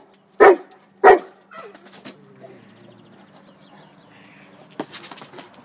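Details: Tosa Inu dog named Szogun playing ball: two sharp, loud barks about half a second apart, followed by quiet rustling and soft movement noises, then a brief thump near the end.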